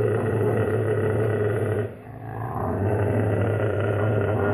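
Alaskan Malamute puppies growl in a low, rough, continuous rumble that briefly drops away midway.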